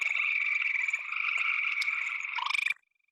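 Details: A gray treefrog in Ohio, a species that rarely comes down from the trees, gives a loud, steady musical trill lasting a few seconds; the sound is described as feeling tropical.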